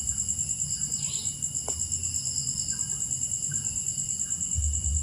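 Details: Crickets at night keep up a steady, very high pulsed trill with a second constant high tone beneath it, over a low background rumble and a few faint bird notes.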